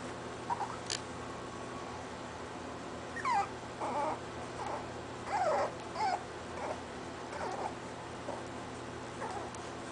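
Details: Scottish Terrier pups, 25 days old, discovering toys and play-fighting with each other; a run of short high whimpers and squeaks, rising and falling, in bursts roughly every half second to second, over a steady low room hum.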